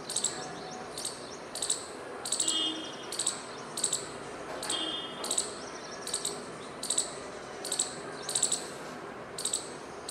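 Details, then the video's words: Squirrel giving a run of shrill, clipped chirps, roughly sixteen in ten seconds, some closely paired, some with faint whistled tones between, against a soft constant hiss. "Squirrel Making Noises"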